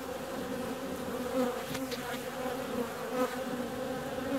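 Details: Warm February day with a honey bee out flying; a continuous buzzing drone with a clear low tone and overtone, brief louder swells near the middle and end as it passes closer.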